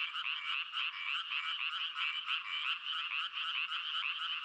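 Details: Croaking frogs in a thick chorus, loose rattling pulses tumbling over one another with an uneven beat, steady and unbroken for the whole stretch.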